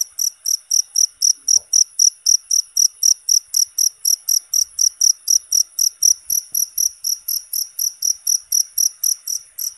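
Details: Cricket giving a constant, loud call, from a natural recording for songbird mastering: shrill short pulses repeat about three times per second, very regular and unbroken across ten seconds, with faint background clicks.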